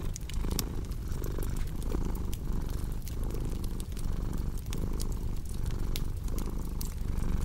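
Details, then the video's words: Cat's continuous low purr, pulsing in breath cycles just under a second long, paired with a cozy crackling fireplace whose bright clicks and snaps scatter throughout. "Purring Cat with Cozy Crackling Fireplace Sound"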